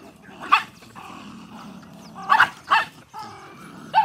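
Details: Dogs eating rice let out a bark, then two quick barks in a row, followed by a thin, level whine and a final yelp.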